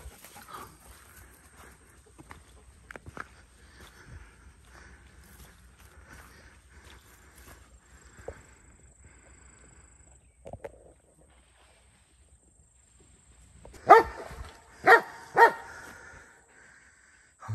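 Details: Belgian Malinois baying while hog hunting: after a long stretch of faint rustling and scattered knocks, three loud, harsh, harmonic barks ring out in close succession, each about a second apart, then quiet returns.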